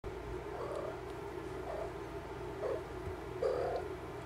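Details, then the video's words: Domestic cat, a mother checking on her kittens: four soft, short, low mewing calls roughly a second apart, the last slightly louder, over a steady low hum. "Mama checking on her kittens"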